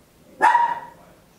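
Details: One loud, high-pitched bark from a tiny Papillon at home, sharp onset then a brief ringing decay; recorded in stereo with an Olympus LS-11.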